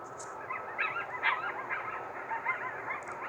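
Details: Distant coyotes in Central Alberta, Canada, give a tangle of wavering, overlapping yips and quavering howls against a steady hiss during a geomagnetic storm; the owner suspects solar flares rile up the animals.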